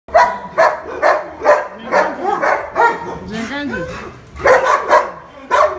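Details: Aggressive nine-month-old king shepherd, kept with a senior black German shepherd, barking in short loud bursts about twice a second, with a human voice talking between and over the barks.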